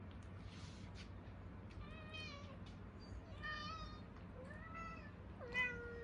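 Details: Several hungry Munchkin cats meowing indoors, a series of short, rising-then-falling mewing cries at intervals over a low background hum.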